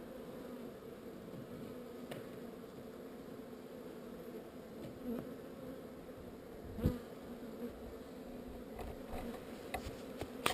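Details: Swarming honey bees during relocation keep up a low, steady buzzing drone, with a few individual bees briefly buzzing louder and a sharp knock partway through, followed by further light clicks.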